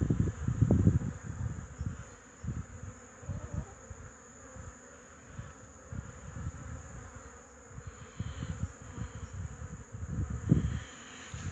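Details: Honey bees of the Wrzosówka line, from about 30 overwintered colonies, busy carrying pollen on 8 March 2015. Low buzzing passes come irregularly, several per second, louder near the start and end.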